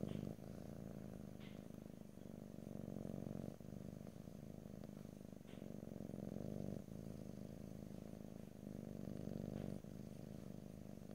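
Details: Steady low purring from a pet cat, recorded in stereo ear to ear for ASMR without speech; continuous rumbling in long breath phases of about one to three seconds, separated by short dips, with faint higher clicks.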